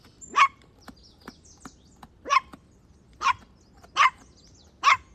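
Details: Playful outdoor scene of puppies battling their mother dog for a toy: six crisp, clipped barks at irregular intervals of about one second, with faint light clicks and taps in between.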